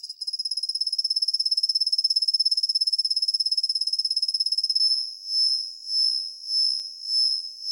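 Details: Svistella bifasciata, the kusa-hibari cricket, a caller of dawn and morning hours, heard close and loud. It gives a long, fast, piercing high trill for about five seconds, then several slow swelling and fading high tones.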